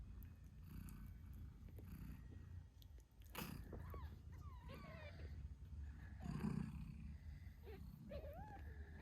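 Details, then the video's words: Eight days after birth, British Shorthair kittens squeak beside their nursing mother Moon Stone; a low continuous purr underlies several short, thin, wavering mews and a brief rustle. "Cute Kittens Meowing Yawning Sleeping Cat Mom Purrs Loudly 🥰 8 Days After Birth British Shorthair"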